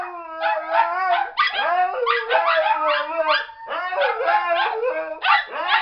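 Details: A Siberian Husky howls in long, wavering, yodel-like notes that rise and fall repeatedly, with two other dogs howling along as backup singers.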